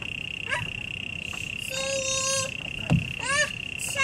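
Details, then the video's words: Cricket recorded at Taipei Botanical Garden: a steady, unbroken high-pitched tone runs through the whole recording, overlaid by intermittent rising, tonal harmonic calls from other sources and a low background rumble. "Taipei Botanical Garden, Cricket"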